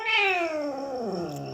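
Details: Male house cat indoors, praised by his owner as a good boy who listens: a loud, harmonic-rich meow starting high and sliding steadily downward into a low, growly tail over about one and a half seconds.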